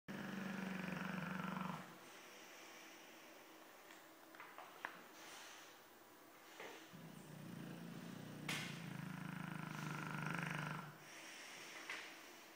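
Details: Fofuxo, a Dogue de Bordeaux, snoring indoors: low rumbling breaths in two long stretches with a quieter gap between them, plus faint scattered clicks and knocks.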